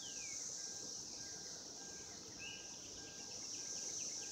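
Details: Cicadas in 2016 mating season produce an unbroken high buzzing drone, accompanied by quick faint ticking notes and a couple of downward-gliding whistles.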